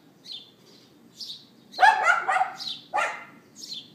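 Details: A neighbour's dog recorded outdoors on iPhone 4S, mid-morning April 18th 2012. It gives a drawn-out, rasping bark, then a shorter yap about a second later, with light bird chirping before and after.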